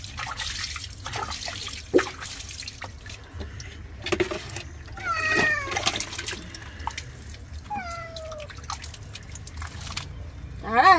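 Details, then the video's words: Domestic cat being bathed, giving a few short, wavering meows midway and near the end amid splashing water and a person talking in Bengali. "Cat bathing"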